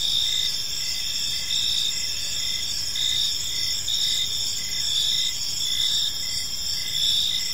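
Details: Chirping crickets in a park at evening, a shrill multi-layered trill steady throughout, punctuated by quick regular pulses of a lower-pitched chirp; faint distant rumble underneath.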